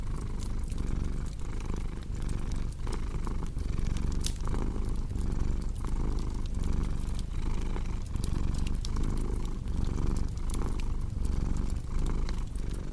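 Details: A domestic cat's low rumbling purr, rising and falling in a steady breathing rhythm, is partly crowded by frequent crackling and popping from a fireplace.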